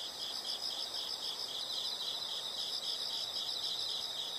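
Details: Insects heard in a nature sound recording: a continuous high-pitched chirring with a fast, slightly uneven pulse over a faint background hiss.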